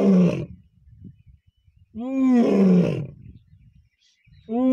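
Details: Lion (Panthera leo) at Deulghat, Buldhana, gives deep, throaty roars in short bursts with pauses between them.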